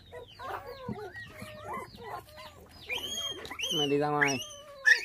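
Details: Five bottle-fed puppies whose mother was taken by dog thieves when they were six days old, in Vietnam; overlapping thin whines and squeaks, with a longer harmonic wail near the end.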